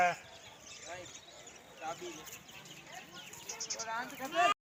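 Sheep bleat in wavering, nasal calls, with people talking in the background.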